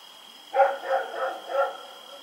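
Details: Dog running around and barking at night, recorded on 7 October 2018. A short run of four muffled, rough barks follows quickly one after another over a steady faint electrical whine.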